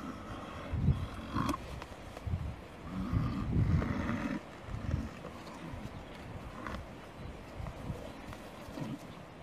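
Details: Lions, during a kill of an African buffalo, give deep, throaty growls and grunts in uneven bursts, heavy in the low range, with softer rustling and faint background noise between the rumbles.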